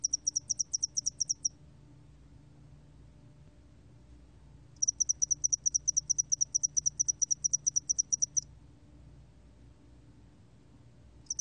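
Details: Two long bursts of spotted-wing hairy cricket song, recorded by the National Institute of Biological Resources in 2020: crisp high-pitched pulses repeated evenly in fast trains, separated by a silence of about three seconds, with a faint low background hum.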